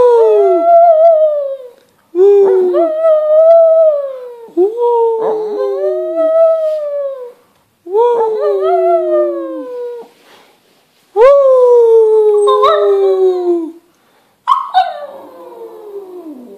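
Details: Shih Tzu dog "singing" in a run of about six long, loud howls separated by short pauses, each note wavering and bending before sliding downward, with the final howl falling steeply.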